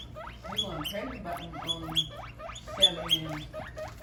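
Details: Loud guinea pigs giving shrill, rising-and-falling squeaks in quick overlapping bursts, several voices at once, with faint low murmuring and a constant low hum in the background.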